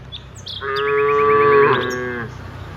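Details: A single steady, drawn-out moo, rich in harmonics and lasting about a second and a half, from one of dozens of cows walking from the rice fields to the village; a few bird chirps sound faintly behind.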